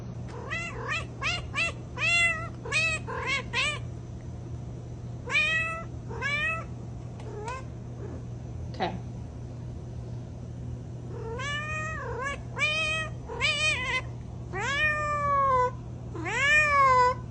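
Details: Cat mewing repeatedly: a quick run of short, rising-then-falling meows in the first four seconds, then longer drawn-out, bending mews in clusters, all over a steady low hum.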